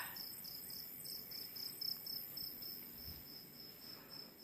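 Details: Past midnight in Kokrobeite, Ghana, West Africa, crickets chirp in a high, pulsing trill about four times a second, over steady higher insect drones and a faint low rumble of ocean waves.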